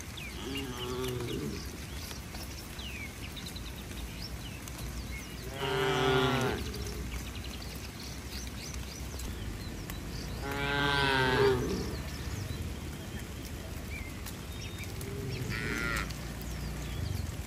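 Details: Tame cattle running to their shed in a sunny rain shower give repeated deep, drawn-out moos. Four calls arrive roughly every five seconds, some loud and rich, others softer and more distant, over a steady outdoor hiss.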